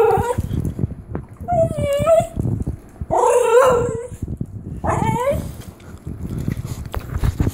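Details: Female Basenji-Whippet mix dog yodeling to ask for a treat at the treat jar: a run of short, warbling, rising and falling howl-like calls with uneven gaps, over soft background noise.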